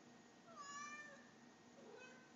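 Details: Domestic cat talking to its owner indoors, a single drawn-out meow with a level harmonic tone near the middle, then a softer second meow, against a quiet room hum.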